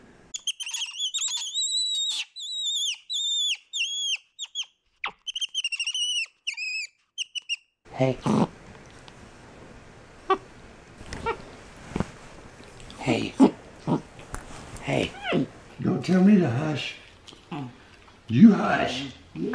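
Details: Capuchin monkey MonkeyBoo, kept as a pet and communicating with his owner; clusters of high, thin arched squeaks in quick runs for the first seven seconds, followed by busier chatter, voices and room noise.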